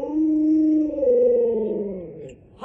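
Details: Alaskan Malamute kept as a pet at home, howling in a steady, sustained tone that dips lower partway through and fades out after about two seconds, with a person speaking to it around the sound.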